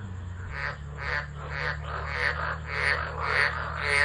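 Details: Frogs calling during a tropical storm at Driver, Northern Territory, Australia, 13 December 2013, on a phone; a series of hoarse, pulsed croaks about twice a second grows slowly louder over a steady low hum.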